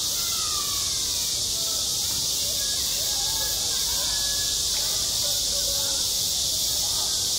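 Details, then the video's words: On a school playground in midsummer, cicadas keep up a steady, piercing high hiss, while faint faraway voices rise and fall underneath. "한 여름 운동장에서 매미가 울고 있다 - 여름의 소리, 학교 종소리, 매미 울음소리"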